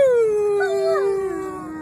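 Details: A pet dog howls: one long, smooth, tonal note sliding gradually downward and fading, with a second wavering voice briefly overlapping in the middle.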